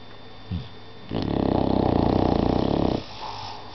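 An English Bulldog snores with a single deep, fluttering rattle that holds steady for about two seconds and then stops abruptly. Softer breathing sounds come before and after it.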